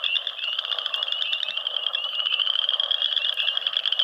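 A frog gives a continuous high, rapidly pulsed trill that never breaks.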